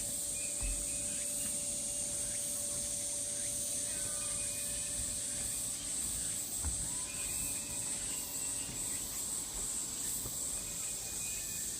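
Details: Continuous shrill cicada buzzing recorded 16 August 2019 on Namwon's Deogeumsan Solbaram-gil pine path in Korea, steady throughout, with short thin bird whistles scattered here and there and a low background hum.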